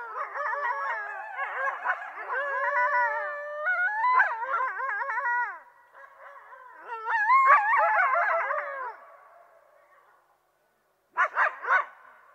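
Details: Coyote chorus of many overlapping wavering howls and yips, warbling up and down for about nine seconds, fading to silence, then a final burst of sharp short yelps.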